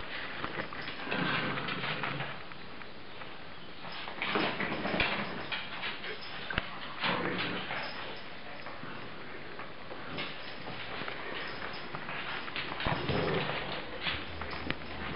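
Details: Dogs fighting: a long stretch of scuffling with rough, broadband snarls and short growly bursts, soft whimpers here and there, and constant rustling and thumping from their bodies moving.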